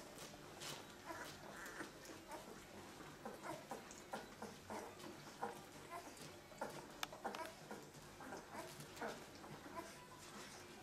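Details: Second-week puppies from a litter of 13 born to Limit make rapid, high, chirpy squeaks and whimpers, densely packed and irregular, rising to sharper peaks now and then.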